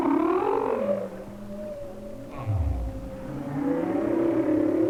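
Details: Humpback whale song picked up by hydrophone off Maui in winter: layered harmonic tones, some sliding downward and others held level, with a deep rising-and-falling moan in the middle.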